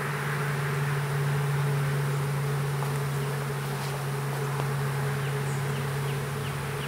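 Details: Small honey bee swarm being hived in a privet hedge thicket in south Alabama on 12 April 2014; a steady, dense, low droning hum continues throughout, with faint high chirps near the end.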